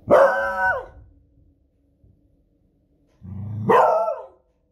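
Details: Female Beagle, a pet, barking in alarm at loud fireworks on a Friday evening: two loud, harmonic barks about three seconds apart, the second preceded by a low growl rising into the bark.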